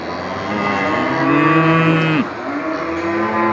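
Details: At a market, a water buffalo cow calls to her companions with one long steady harmonic moo lasting about two seconds, ending in a short drop, amid background market noise.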